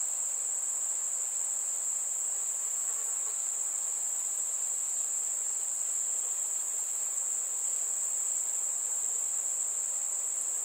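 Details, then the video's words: Crickets singing on a warm summer evening among fireflies: one unbroken, very high, shrill trill holds steady from start to finish, with almost nothing else audible. "Fireflies and Crickets - Calming sounds of the night"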